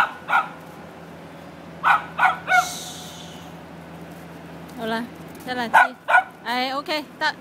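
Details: Mocha, a pet dog, while playing: bursts of short sharp barks, then a run of high yelping yips with rising whine-like notes near the end, mixed with a person's voice.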